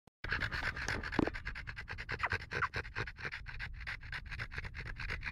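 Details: Overheated French bulldog panting hard indoors, rapid rhythmic breathy puffs about three per second, with a couple of brief human voice sounds.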